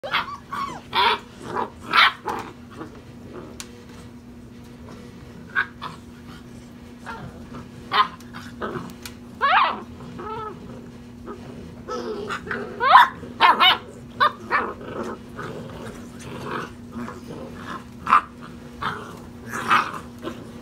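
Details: European Basset Hound puppies, six and a half weeks old, romping in play; short yips and barks burst out in scattered clusters over a steady low hum, with scuffling between calls.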